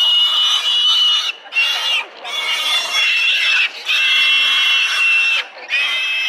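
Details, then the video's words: Piglets fighting for milk at the sow; piercing, high, drawn-out squeals nearly continuous, broken by a few brief pauses. "Verfressene Ferkel an fetter Sau"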